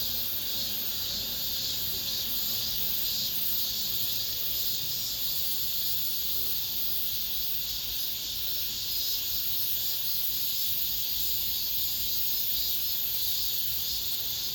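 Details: Cicadas calling among apartment buildings as summer ends, the year's final chorus: a sustained, bright, sizzling drone with faint rhythmic throbbing that carries on unchanged through the whole stretch.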